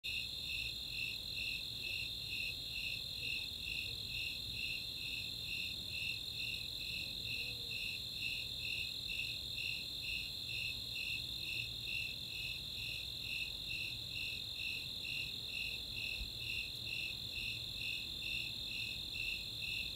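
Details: Summer night chorus of Snowy Tree Crickets and Four-spotted Tree Crickets in the open space of Chautauqua, Boulder, Colorado: steady high chirps about twice a second over a continuous shrill trill, unbroken for twenty seconds.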